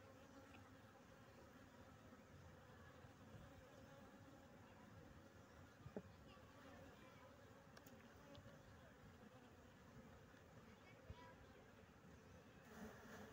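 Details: Bees in a bee box giving a steady, low, droning buzz with layered humming tones throughout, plus a few faint clicks and taps.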